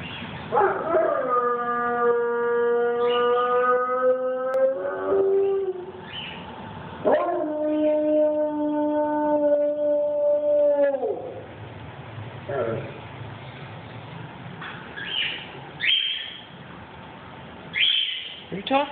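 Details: Max, a pet dog, howling in long sustained tones with strong harmonics, two extended howls holding steady pitch for several seconds each, followed by shorter broken whines and yips toward the end.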